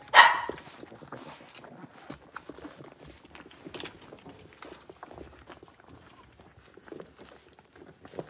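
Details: In a bigger home puppy pen, five Blenheim Cavalier King Charles Spaniel puppies born over New Year's; a single brief, bright yap opens the recording, then quiet pattering of small feet and light rustling continue throughout.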